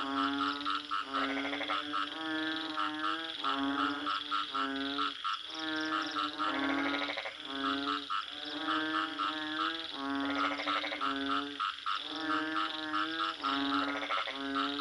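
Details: Frogs call steadily in loud, buzzy, honking croaks, with bursts of overlapping notes roughly every second. Short gaps break the chorus near the middle and end, and a faint low drone runs underneath throughout.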